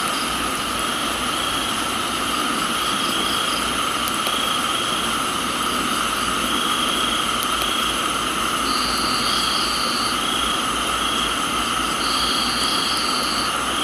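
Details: Tropical garden crickets recorded in Thailand give a continuous shrill, even buzz in layered bands, with short high tonal bursts near the ninth and twelfth seconds, all over a steady wash of rain.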